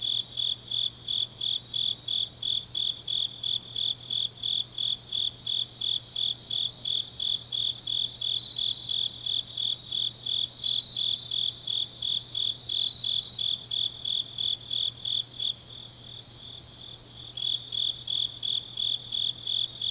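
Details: Grass insects singing on a deep autumn night in Changnyeong, South Gyeongsang, Korea: a high, clear chirp pulsed about three times a second, steady and repeated, over a softer continuous trilling layer and a faint low hum.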